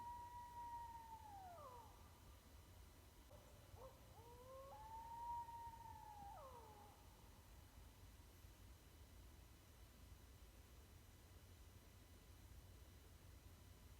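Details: Coyote from East Texas howling: two long, smooth, high tonal howls, each holding pitch then sliding sharply downward, with short wavering notes between, against a quiet rumbling background.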